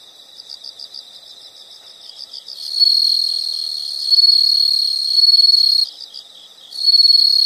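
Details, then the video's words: High rhythmic insect chirping gives way to a long, loud, shrill trill lasting about three seconds, a brief return to pulsed chirps, then the piercing trill resumes. "the sound of insects"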